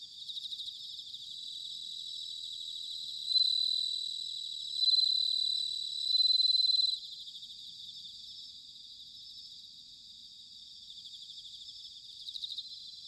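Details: Bell crickets singing in autumn, recorded in Sanuki, Chiba, Japan: three loud, high ringing notes, each about a second long, rise over a steady shimmering chorus of fast pulsed trills that fills the background throughout.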